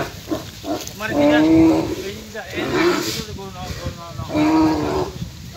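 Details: Fighting bull in Sylhet, Bangladesh, bellowing in loud, drawn-out, harmonic calls. Three main calls, each lasting about half a second to a second, are separated by short pauses, with people talking nearby.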